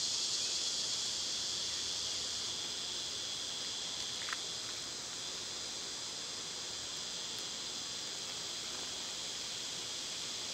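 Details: Summer cicada din, a sustained, shrill, rapidly throbbing buzz that starts loudest and eases slightly, with a short faint chirp and a click midway.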